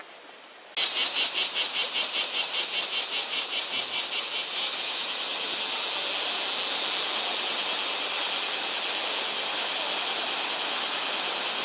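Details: Cicadas in a Japanese summer, 2014, said to exceed 120 dB, filmed on a Panasonic Lumix TZ20/22: a loud, dense, high, pulsing buzz starts abruptly after a moment of quiet. It throbs rapidly, then settles into a steady, continuous drone.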